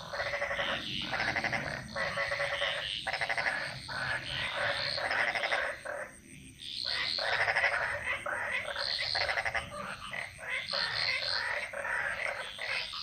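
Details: Frogs chorusing in a Bali jungle: dense bursts of rapid, pulsed croaking, with several callers overlapping. The bursts stop and start every second or two, with a brief lull near the middle. A steady high insect whine runs underneath throughout.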